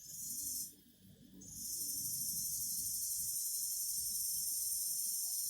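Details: Cicadas singing in a loud, continuous high-pitched buzzing drone that drops out for under a second, then resumes steadily with a faint low rumble beneath.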